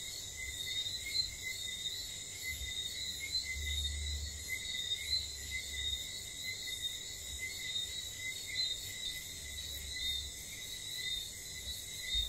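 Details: After dark on St. Lucia, whistling frogs keep up a steady series of short piping whistles among overlapping callers, with a continuous shrill insect band and occasional low stormy rumbles underneath.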